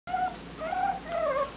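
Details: Smooth-coated Miniature Dachshund puppies from a litter in Colorado, heard indoors giving three drawn-out, wavering whines, each gently rising then falling. A quiet gap separates each one.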